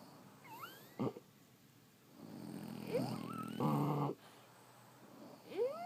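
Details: Sleeping French Bulldogs snoring, with short harsh snore bursts around a second long and thin rising nasal whistles in between, over a soft steady background hum.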